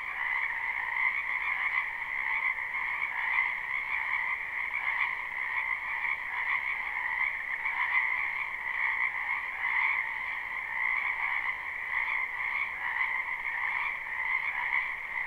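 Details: Frogs crowding a springtime wetland, recorded live with no looping, keep up a long, unbroken chorus of rapid trilled croaks that rise and fall slightly in intensity over about fifteen seconds.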